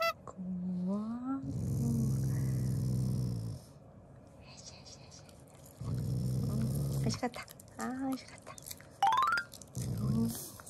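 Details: Eating Shiba Inu, a loving family dog, growls out of affection, not anger: three long, deep, steady rumbles, each lasting one to two seconds, with short rising whines between them and quiet human voices.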